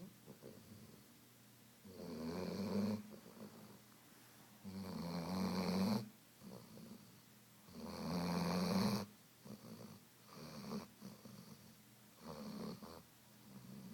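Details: A female Weimaraner, exhausted after many hours of swimming, playing and running at the dog park, snores deeply; each low, rumbling breath comes about every three seconds.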